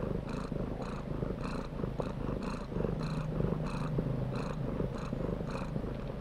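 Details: Cat purring close up, a deep continuous rumble that swells and fades in a steady rhythm about twice a second, with a soft rasping edge on each pulse.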